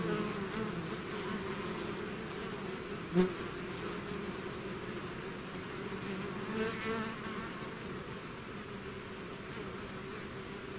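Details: A swarm of bees out of its hive, a dense steady drone with low hum bands and brief louder buzzes as single bees pass close, one sharp pass near three seconds and another near seven.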